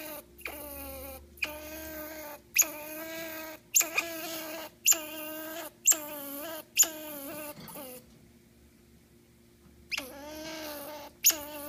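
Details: Phineas, a grumpy squirrel, gives a run of harsh, harmonic whining moans, each burst under a second and repeated in quick succession for about eight seconds, then a short silence before two more moaning bursts.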